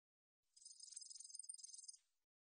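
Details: Katydid. A katydid produces a high, hissing trill made of fast, evenly spaced pulses. The phrase holds steady for about one and a half seconds before stopping abruptly, with no other sounds around it.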